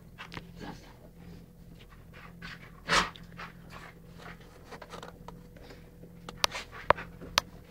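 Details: Playful indoor game between a Rhodesian ridgeback and a chocolate labrador, Beau and Ted, November 12th 2011; faint rhythmic panting, one louder breathy burst midway, then scattered clicks of claws on the floor.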